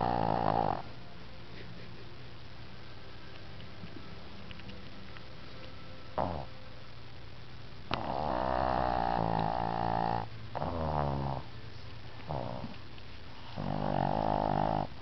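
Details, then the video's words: Pet dog Tank in a deep afternoon nap, snoring in rough, rattling bursts separated by quiet breathing gaps, with the loudest snores near the start, in the middle and at the end, in a quiet indoor setting. "Tank REALLY snoring"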